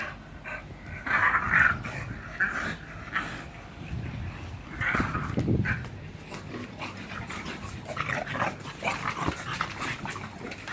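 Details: During a workout, the bulldog Hiccup puffs and grunts in ragged breathy bursts, with a deeper throaty snort midway, then quicker softer panting.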